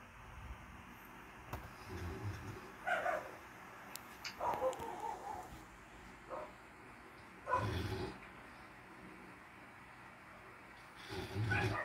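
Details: Pair of house cats mating on their bed in mating season, giving low guttural moans broken by sharper wailing yowls and brief scuffling sounds, several separate outbursts with quiet pauses between.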